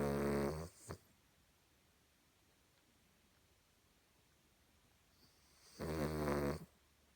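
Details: Sleeping Cavalier King Charles Spaniel snoring much like a person. Two raspy, buzzing snores, each under a second long, come about five seconds apart, with a quiet indoor pause between them.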